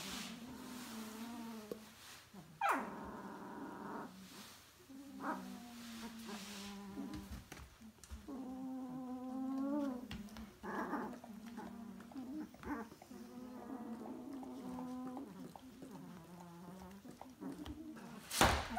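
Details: Two-week-old puppy litter, whining and squealing: thin high whimpers and drawn-out rising squeaks overlapping through the clip, with a soft snuffling background and a sharp knock near the end.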